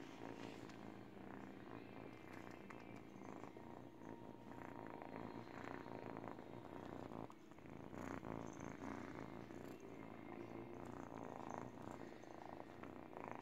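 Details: Teething kitten of 8 weeks purring on a baby blanket: a constant throaty rumble with brief dips in intensity, mixed with scratchy chewing and rustling of cloth.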